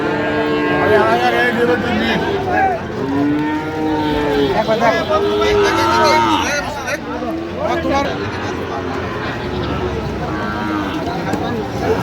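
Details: Sahiwal bull calves at a busy cattle market in Dhaka, Bangladesh, 28 November 2025; a string of short, arched moos repeated every second or two in the first half, over constant chatter and haggling voices.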